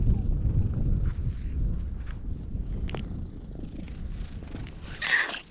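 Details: Stray cats gathering on a breakwater while the recordist waits for a ferry, filmed with a GoPro: a low, rumbling purr fills most of the stretch, then a brief higher meow near the end over outdoor background noise.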